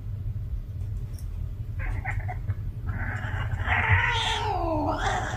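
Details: Domestic cat in heat giving a loud, rough caterwaul that swells and wavers in pitch, bending downward near the end, preceded by a couple of brief clipped mews, over a constant low rumble.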